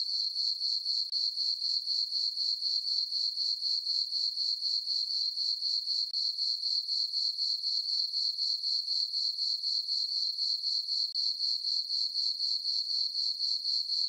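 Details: High, ringing cricket chirps fill a quiet summer night in a moonlit farm meadow, pulsing steadily around four beats per second throughout, with no wind, birds or people.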